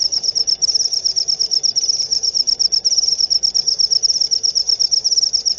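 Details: Shrill cricket chirping repeats rapidly and evenly, a bright high pulsing line over a soft, muffled low background.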